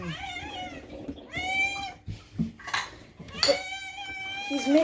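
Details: Pet cats meowing insistently indoors, long bright calls overlapping with a person talking to them, a few clinks in between.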